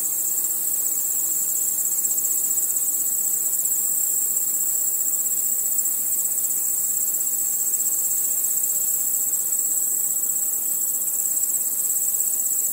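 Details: Night chorus of crickets with other insects: an unbroken, thin, high trilling wash holding a constant level, finely pulsed, with no birds, voices or wind.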